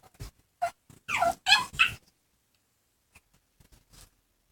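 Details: Two pet dogs, Ringo, a chihuahua x pug, and Bogart, a pug cross, playing together and making absurd noises: short yips and whiny bursts, a cluster of louder squeaky vocalisations near the middle, then faint scattered sounds.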